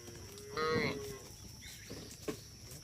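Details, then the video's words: Herd of cattle wandering on a road, one cow giving a single short moo of under a second, followed by quieter scattered noises and background hum. "Rombongan sapi berkeliaran di jalan suara sapi bunyi"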